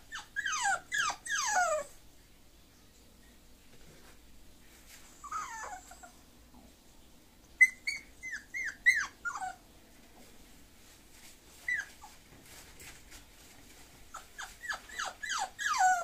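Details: Whimpering Bulloxer, a bulldog-type mixed-breed dog, in bursts of rapid, high, downward-sliding whines separated by quiet pauses of several seconds, ending with a cluster of insistent yelps.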